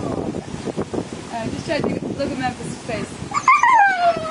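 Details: Jealous adult Siberian Husky howling beside a pool where an 11-week-old puppy swims, wanting to join in; a woman's chatter dominates before a sharp, sliding, descending whine near the end, with background splashing.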